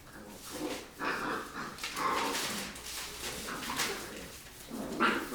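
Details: Rottweiler puppies play-fighting after eating, with short growly grunts and yips in bursts about every second, broadband scuffling and rustling between them, recorded indoors.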